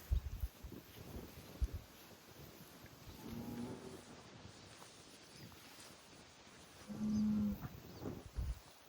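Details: Highland cattle bulls on a Finnish farm, kicking dirt and calling: two drawn-out low moos about four seconds apart, the second louder and steady in pitch, among thumps and scraping in the dirt.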